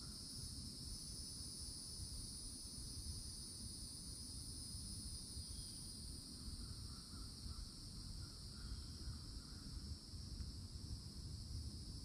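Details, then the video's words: Cicadas in loud summertime chorus at a Florida forest edge among towering trees; a steady, high, two-banded buzzing drone runs unbroken throughout, with faint bird chirps near the middle and a heavy low rumble of wind or distant traffic. "CICADA SOUNDS"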